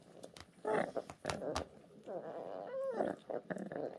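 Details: Orphaned brown bear cubs in a 2023 rescue centre: short, rough, grumbling cries with one brief rising-falling whine, mixed with clicks and handling noises.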